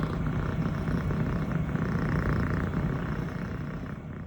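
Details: Female six-month-old Scottish Fold kitten, fluffy longhaired brown tabby and white, purring nonstop while her owner pets her; a close, steady low rumbling purr with a fine rapid pulse, continuous throughout.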